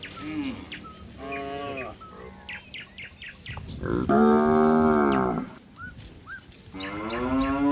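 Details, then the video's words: A calf calling for its mother among cattle roaming a waterlogged paddy: several moos, the loudest a long wavering bellow mid-way, with frequent bird chirps and whistles around them. "Suara Sapi Sedang Mencari Induknya"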